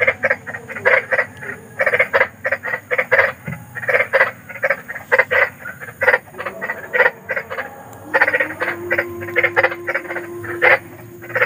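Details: Big frogs in the wild at night giving harsh, rattling croaks in rapid bursts, several callers overlapping, a brief lower droning note near the end.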